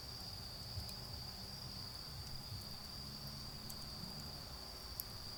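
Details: Autumn insects keep up an even high trill while a bonfire burns in a garden. There are occasional sharp crackles from the fire, and a low droning rumble of far-off cars sits beneath.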